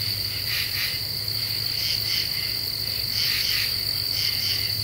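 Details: Night chorus of common true katydids in Eastern U.S. deciduous woods, Ozarks, July 2013, half moon: a few scratchy double and triple rasps over a constant shrill insect tone and low hum.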